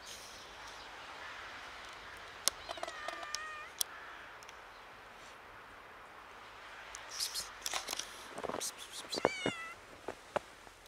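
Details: A slightly frightened kitten meeting snow for the first time gives two short, wavering meows several seconds apart, the second higher and quavering, among crunching, rustling and clicking noises.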